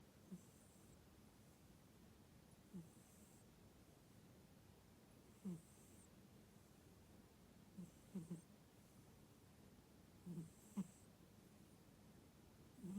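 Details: A tuxedo (hachiware) cat, fast asleep and fully relaxed, snores in soft, low, short puffs about every two to three seconds, described as sounding like a pig's squeal, in a quiet small room.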